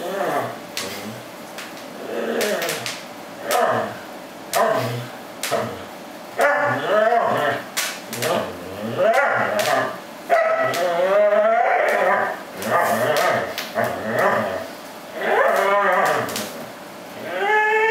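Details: A Corgi attacking a plush fish toy gives a run of excited, whiny, grumbling yips every second or two that swoop up and down. These are playful noises of joy, not pain, with faint room sound behind.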